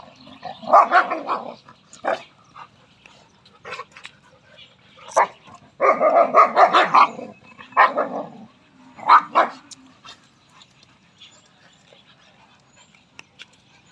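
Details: Rottweiler and Labrador fighting; bursts of harsh, snarling barks and growls in clusters at about 1, 6 to 8 and 9 seconds, with short single yelps between and quiet gaps near the end.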